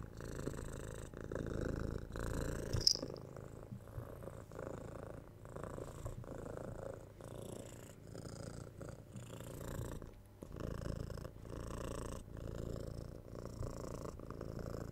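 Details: Indoor purring of a domestic cat: soft, low vibrating rumble in repeated breath cycles of about a second, steady and relaxed, with a faint click near the start.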